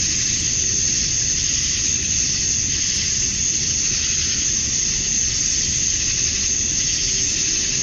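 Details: On a summer night at dusk in Georgia, USA, male cicadas call for females in a constant high-pitched electric-sounding hum that swells softly every few seconds, with a steady low rumble behind.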